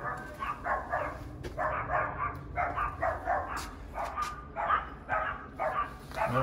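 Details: Pet dachshund and yorkie dogs barking at home in Southwest Florida as a trainer arrives at the house: quick bursts of sharp, mid-pitched barks in uneven runs, with a low background rumble.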